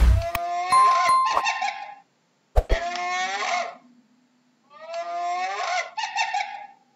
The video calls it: How does a Hyena sounds